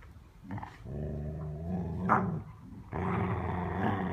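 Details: Playing dogs give a steady low growl that swells and fades, then a louder, harsher growl rises near the end; a brief higher yelp breaks in midway.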